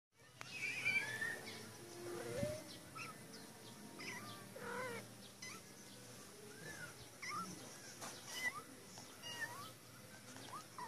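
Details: A female cat in a cage meows insistently to be let out, giving a run of drawn-out, arching meows roughly every second or two, some rising then falling, over a steady background hum.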